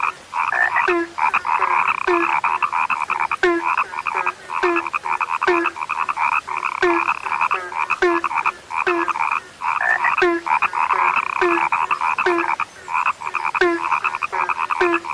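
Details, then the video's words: Frogs, reported as now scarce, keep up a loud continuous croaking chorus of chattering pulses, a lower abrupt note sounding about every half second, with occasional brief lulls. "SUARA KATAK YANG SUDAH LANGKA"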